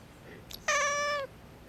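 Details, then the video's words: House cat Miiko protesting an impending sneeze with one short, flat, harmonic meow about half a second long, preceded by a faint brief click; little else audible indoors. "くしゃみをしようとすると怒る猫 -Cat to get angry at when going to sneeze-"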